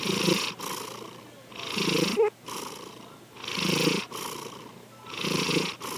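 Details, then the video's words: Pet cat Sankichi asleep and snoring, slow raspy breaths cycling about every second and a half, with a faint brief squeak cutting in between two breaths. "三吉のいびき2 Our Cat, Sankichi snoring."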